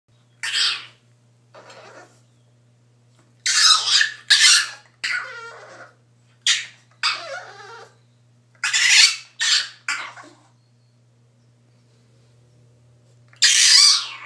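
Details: A French Bulldog puppy crying in a bathtub gives high-pitched, breathy cries, some wavering into thin whines and others sharp squeals, in uneven bursts separated by pauses of a second or more, in a small echoing room.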